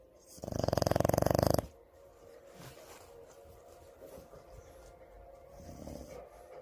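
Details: A sleeping French Bulldog gives one loud, buzzing, rattling snore lasting just over a second, then quiet breathing follows in a small room.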